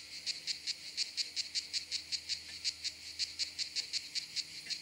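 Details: Cicada, a common southern European species, found at a campsite in southern France in high summer: a steady series of harsh, high rasping pulses, about four to five per second, over a faint low hum.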